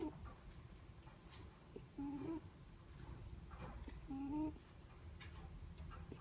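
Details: Snoring breaths of a sleeping Netherland Dwarf rabbit: brief whistled tones that step upward in pitch, two clear snores roughly two seconds apart against a low indoor hum.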